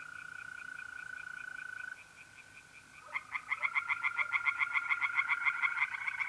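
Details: Mole crickets trill alone at first, a steady high tone with faint distant croaks, at a pond in North-East Italy in mid-April by night. Then tree frogs break in with a loud, fast, rhythmic run of raspy croaks.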